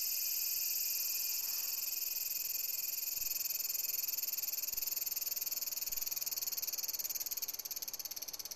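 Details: Cicada singing on a window screen: a steady, loud, high buzzing drone with a fine rapid pulse, holding level for most of the stretch before fading slightly near the end.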